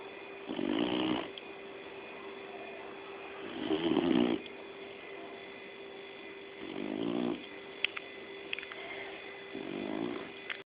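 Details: Labrador Retriever named Jolly snoring, four coarse rasping breaths spaced roughly three seconds apart, with a constant background hum and a few faint clicks between them.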